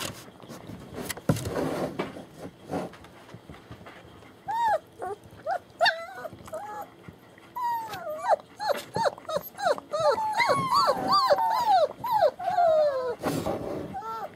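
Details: Young German Shepherd puppies from a litter born January 2015 at a Mayo, Florida kennel, whining in bending, wavering cries that start sparse, then crowd together into a busy overlapping chorus, with some rustling and handling noise.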